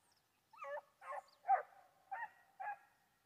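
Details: Foxhound on a wild boar hunt giving five short, hoarse bay barks spaced about half a second apart, each a brief harmonic yelp with slight pitch bends.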